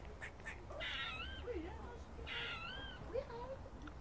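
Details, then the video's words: Squirrel, possibly filmed in a Cambridge college, gives harsh, raspy barks that trail into wavering, whiny notes, repeated about every second and a half; squirrel barking and chirping. "Squirrels barking and chirping"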